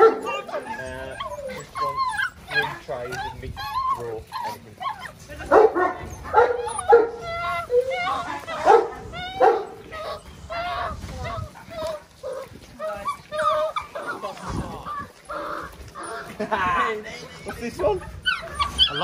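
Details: Six-week-old Belgian Malinois puppies from a Mensa x Pixel litter yelp and yip almost without pause in high, bent, overlapping cries. The squeals form a busy chorus, and people talk over the noise throughout.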